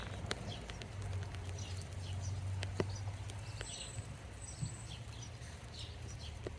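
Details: In summer rain, bumblebees on pink-purple flowers give a low, droning buzz that comes and goes beneath the patter of raindrops, with faint bird chirps.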